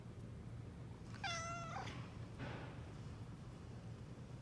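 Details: Domestic cat of Somali or Bengal breed giving one clear meow of about half a second, flat and harmonic-rich, followed by a fainter short sound, over a steady low hum.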